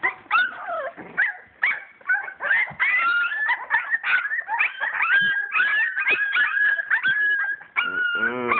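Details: Playing English Springer Spaniel puppies, purebred and born 22 July 2012, give a steady chorus of squeaky whimpers and whines, many held tones wavering and bending, with brief yips and a rougher yelp at the end.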